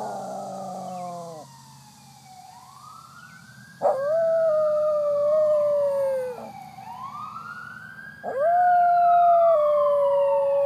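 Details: Cody, a West Highland Terrier dog, howls at a fire truck passing with its siren on: sustained, wavering mid-pitched howls held for a few seconds, interleaved with the siren's loud rising and falling sweeps.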